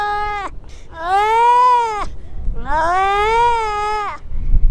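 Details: Atlantic seal pup on a Lincolnshire beach, calling after losing contact with its mother: a short cry, then two long, wailing, richly harmonic moans, each rising, holding and dropping away, with a low rumble of wind underneath.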